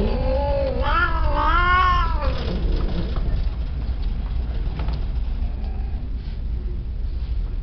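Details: A peke-face Persian cat gives a drawn-out, wavering meow that rises and falls over a low steady hum.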